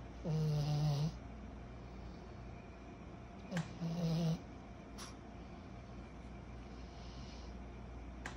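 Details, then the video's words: Snores from Kyro, a 14-month-old pug puppy, while asleep: two loud, grating snorts about three seconds apart, then quiet breathing against a faint room hum. "Our SNORING 14 months old PUG PUPPY"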